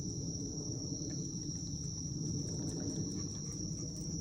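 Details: Crickets on a Japanese autumn night, 19 September 2024 around 18:36, iPhone recording beside a dog: one sustained high, even trill without pauses, set against dull low-frequency background noise.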